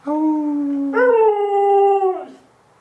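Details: Alaskan Malamute dog howling in response to neighborhood sirens: one steady low tone held for a second, then a rich, higher howl that wavers and slowly slides downward before fading, about two seconds in all.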